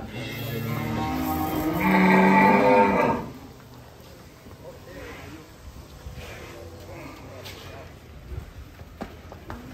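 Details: Giant cattle being unloaded from a truck in Indonesia; one loud, harmonic-rich moo of about a second and a half, followed by quieter background noise, faint music and distant voices.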